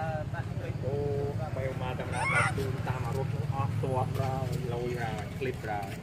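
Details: Sweetpea, a baby monkey, screaming at a brother monkey: bursts of mid-pitched, harmonic squealing notes in quick series, pausing briefly between runs, over a steady low hum.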